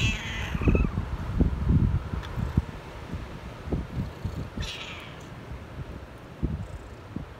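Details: Tabby stray kitten in a park, lying on a cloth-covered bed of gathered fallen leaves, on Cat Day, 22 February. It gives two drawn-out, falling meows, one at the start and one midway, over low handling thumps and rustling.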